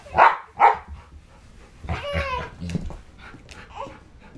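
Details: Dojo, a pit bull-husky mix dog, protecting a newborn from pretend attacks indoors; two sharp barks open the clip, followed by a man's voice and scattered small sounds in a small room.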